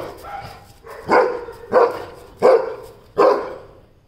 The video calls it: Oscar The Weimaraner 🧿 - Ferocious Barks!! 🔊